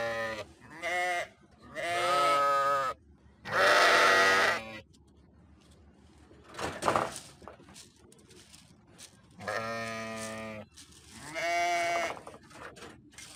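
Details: Sheep bleating in a series of wavering, nasal calls, about five separate bleats over thirteen seconds, each lasting around a second with short quiet gaps between them.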